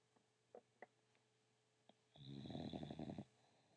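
An English Bulldog snores with one loud, rattling, low breath after a few faint soft clicks.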